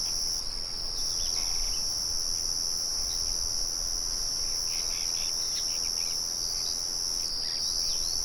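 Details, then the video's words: Wild crickets, recorded with birds and a background windmill. A constant, glassy high trill rings throughout with short breaks near one and seven and a half seconds. Faint clustered bird twitters sound in the middle range. "Sonido de Grillos y Pájaros"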